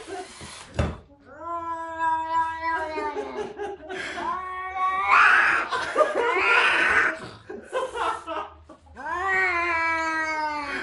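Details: Angry cats caterwauling in a small room, a string of long wavering yowls that rise and sag in pitch, broken by a burst of harsh noisy hissing in the middle and a final drawn-out wail.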